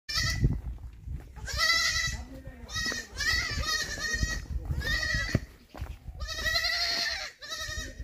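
A young goat bleats repeatedly in high, wavering cries, calling for its mother.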